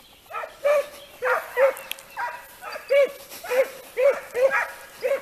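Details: During training on hare, Italian hounds bay in a quick, urgent series of about ten short, yelping cries, coming almost twice a second with a slightly rising pitch.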